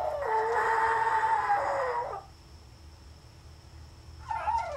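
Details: Pomeranian female, Lilly, alone at home and howling indoors: a sustained two-second howl held at a steady pitch with a rough, strained edge, then silence and the start of another rising howl.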